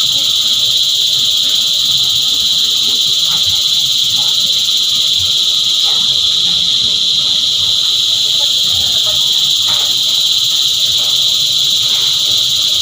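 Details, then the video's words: Many cicadas singing together in a steady, shrill, continuous buzz that never pauses, with faint low background rumbles and scattered soft knocks. "Energizing Cicada Choir"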